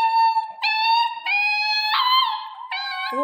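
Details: A Central Asian Shepherd Dog (Alabai) puppy howls in steady, high, tonal notes broken into several drawn-out phrases.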